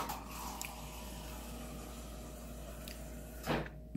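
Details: Quiet indoor room tone with a low steady hum, broken near the end by a short knock like a door or cupboard.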